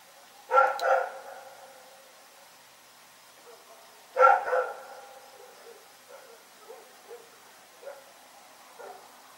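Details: Dog named Rex barking at night, two loud harmonic barks about four seconds apart, each a quick double burst, followed by fainter scattered yips and short calls in the background.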